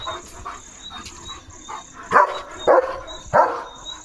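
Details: Leo, a pet German Shepherd, excited and dashing about after spotting another dog, gives three loud, sharp barks about half a second apart near the end, over a steady high insect drone and quiet speech.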